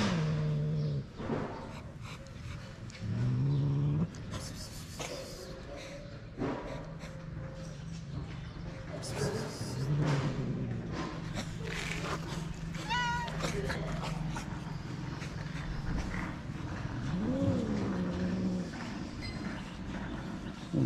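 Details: Female cat in Morocco, avoiding a male cat that wants to mate, gives a few drawn-out meows that rise and fall, spread widely apart over a steady low traffic rumble and scattered clattering.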